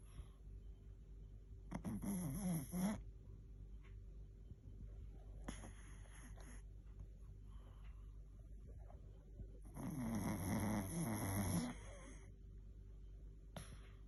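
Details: A Chihuahua asleep, snoring in three rasping, raspy bursts of about a second each, spaced several seconds apart, with a faint whistling wheeze inside the louder ones and quiet room hush between.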